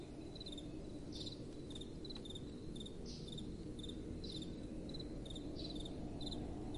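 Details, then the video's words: Crickets cricketing at night: regular short chirps about two and a half per second, with louder swelling buzzy chirps every second or so from another caller, over soft blowing wind. "Relaxing Night Time Sounds | Crickets & Soft Wind"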